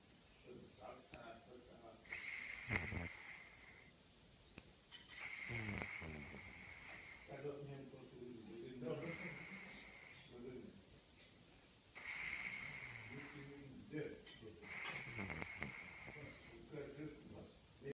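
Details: A sleeping cat snores with steady, raspy breaths, each drawn-out wheezy inhale and exhale returning about every three seconds in a quiet indoor setting.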